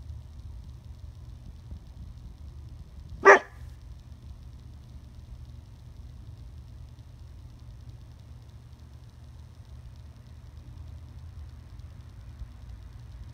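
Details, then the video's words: A young female Dobermann puppy gives a single sharp, loud bark at a beetle on a fence, against a quiet, low background hum. "Puppy Barks at a Bug"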